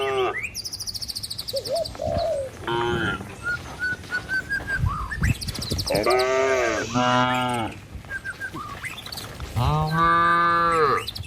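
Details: Herd of tame village cattle heading toward the pen; quick bird chirps and twittering open the recording, then deep drawn-out moos from several animals break in later, one after another.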